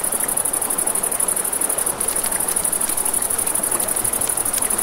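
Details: Crickets at night by a river beside a crackling campfire: a steady, very high-pitched pulsing trill runs throughout with a brief dip near two seconds, over the rushing river and scattered pops and snaps of burning wood.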